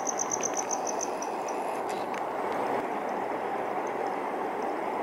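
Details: A male cricket chirps by running one wing's toothed vein across the other, giving a quick run of high, evenly spaced pulses that fade away over a low steady rumble.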